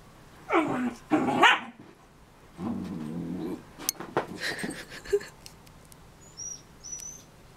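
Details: Pet dog named Link, indoors, playing after chasing his tail: two short gruff barks followed by a low rumbling growl, then scuffling and clicking noises with a few faint squeaky tones.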